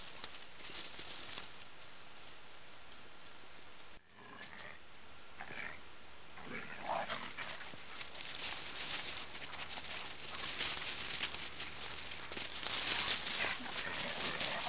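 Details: Two young dogs, Thor and Loki, almost seven months old in their first winter, playing in snow at Rouge River in 2009, recorded on a digital still camera: a few short, rough vocal bursts midway, with crunching, scuffling snow that grows louder.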